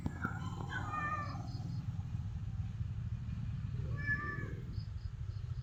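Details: Cat giving two short, faint meows, one early and one near the end, over a steady low rumble like a passing vehicle.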